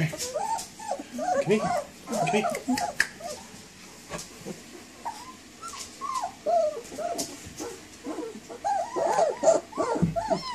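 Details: Puppies giving short, high whining yelps in bursts, each note arching up then falling, with quieter gaps and a few sharp clicks between the calls.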